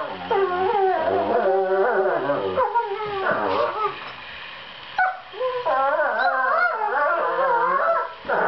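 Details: Seven-month-old borzoi puppies duetting during fight-play, sweet noises signalling their fierce faces are not serious: dense wavering whines and moaning howls in undulating overlapping phrases, with a brief pause midway.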